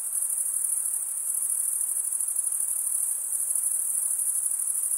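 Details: Continuous shrill cricket chirping, produced by males rubbing a wing edge over the comb-like teeth of the other wing, holding one unbroken high band with fast, even pulsing throughout.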